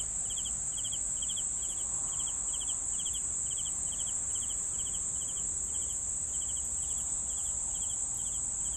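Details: Crickets chirping in short pulsed bursts, roughly two per second, over a constant high, shrill steady trill; faint low background rumble throughout.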